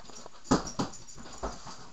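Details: Pet puppy giving three short whimpering yips, two close together and a third after a brief pause, against a quiet indoor background.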